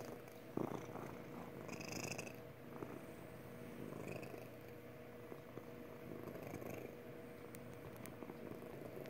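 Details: A contented house cat named Magic keeps up a happy purr, a continuous low buzzing rumble, with a couple of faint higher squeaks and light handling noises early on.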